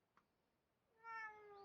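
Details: Indoor cat gives a single clear meow, starting after a soft click and sliding gently downward, in a quiet room.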